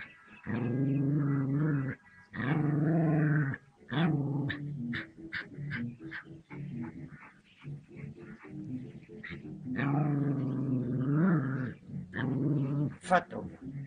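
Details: Dog confronting a cobra; long low rumbling growls lasting one to two seconds each, broken by short gaps and sharp clicks, with a few brief higher whine-like sounds.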